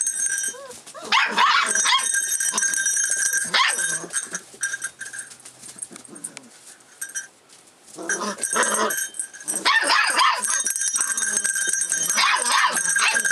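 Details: Rough Collie puppy, 44 days old, filmed 25 February 2012 and growing alert to changes around it; shrill, broadband barking bursts from one to four seconds and again after eight seconds, with a quieter stretch between.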